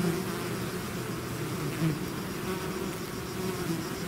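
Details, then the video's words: Bee swarm out of its hive: a dense, steady low hum with layered droning tones, the buzz holding an even level throughout with slight swells as individual bees pass close. "bees therapy swarm natural buzzing sound"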